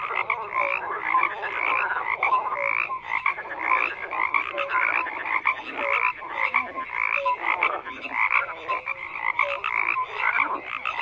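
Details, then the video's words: Steady chorus of many croaking frogs, buzzy rattles layered with brief tonal notes, pulses recurring close to once a second without a break. "FROGS CROAKING"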